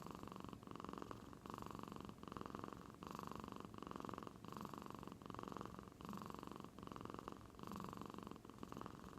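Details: Domestic cat from Aichi Prefecture, Japan, deep asleep and making a noise like an old man's snoring, at first taken for purring: steady low rumbling breaths in a regular cycle, each lasting just under a second, in a quiet indoor room.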